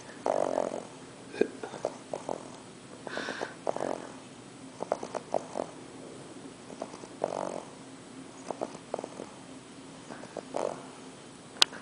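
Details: Sleeping English Bulldog puppy, worn out after travelling from Kansas to NYC, gives raspy snorts and wheezy snores at uneven intervals in a quiet room on his first night there.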